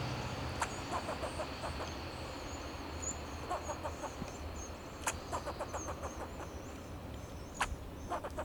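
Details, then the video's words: Alarm calls of a fox squirrel guarding itself and its territory from a Monterey pine, Del Monte Forest, California: scattered short dry chucks and clicks in small runs, against a constant low engine-like rumble and thin high whistles. "Sound of a Fox Squirrel"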